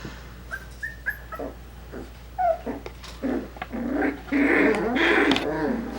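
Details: Coton de Tulear puppies, five weeks old, playing indoors in a small room; scattered short high whines and yips build into a busy run of overlapping puppy barks and squeals in the last two seconds.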